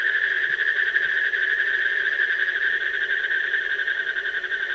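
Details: Asian common toad producing an unbroken, quickly pulsed trill with a fluttering, slightly wavering quality, a lower drone running underneath.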